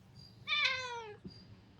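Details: House cat giving one loud, clear meow lasting about seven tenths of a second and sliding down in pitch, followed by a soft thump, with faint insect chirps and a low hum behind.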